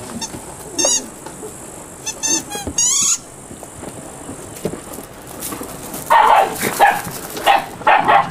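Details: Eight-week-old Malinois puppies: a few shrill, squeaky yelps with rising and falling pitch in the first three seconds, then a quiet gap, then a run of short, rough, yappy barks in quick succession near the end.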